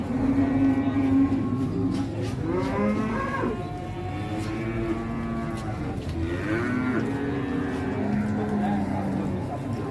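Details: Giant Pegon cattle at an Indonesian cattle market give repeated long lowing moos, several seconds each, with swooping rises and falls in pitch, against market crowd noise and faint music.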